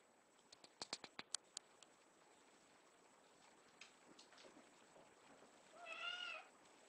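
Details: Three-week-old kitten from a litter giving a single faint, wavering mew near the end, after a burst of sharp tapping clicks and soft rustles indoors.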